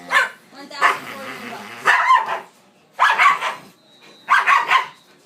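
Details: Dogs at play giving loud, harsh barks in four bursts about a second apart, several bursts doubled or tripled, with human voices mixed in.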